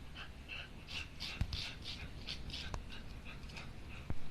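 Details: Shiba Inu given a new toy, barking hard in a 'what is this, what is this' state; thin, high-pitched yips repeat about twice a second over a steady low rumble, with a few sharp clicks.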